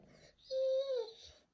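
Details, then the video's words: Mary, a female Pit Bull indoors, whines to get her ball from under the bed: a single clear high-pitched whine, held level and then sliding downward, with faint room sounds around it. "Pitbull Dog Crying (Wants Her Ball Under The Bed)"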